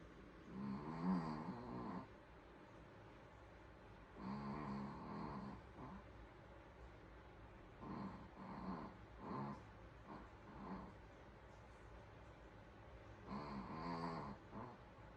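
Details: Sleeping Pomeranian snoring in a quiet room, no music; soft raspy snores come in clusters of short bursts separated by pauses of a few seconds.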